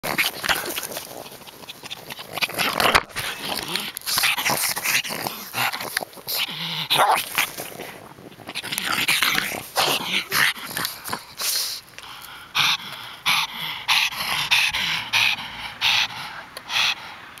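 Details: Pug named Harley going hyper, a dense run of snorting, grunting and yappy excited noises with scuffling, bursts coming rapidly throughout.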